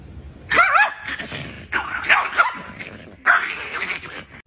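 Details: Dog described as angry, in a compilation of funny dog reactions: three loud, strained bursts of barking with wavering, whining pitch, spaced about a second and a half apart, followed by a person calling the dog over.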